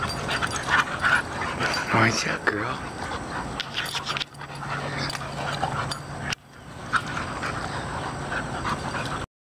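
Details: American Bulldog mother and her grown daughter from her litter wrestling during a holiday weekend visit; short rough growling and whimpering noises in bursts, with a woman talking and laughing nearby and background hum.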